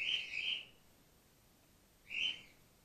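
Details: Two drawn-out, shrill squeaks about two seconds apart from Gwickle, an orphaned-in-care grey-headed flying-fox pup fed from a bottle on her second day in care.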